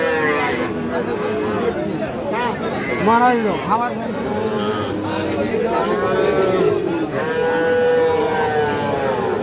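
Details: Sahiwal bull calves for sale at Aftabganj market, 6 August 2025: several mooing calls, some short and arched, others long and flat. Men's voices bargain throughout amid general market noise.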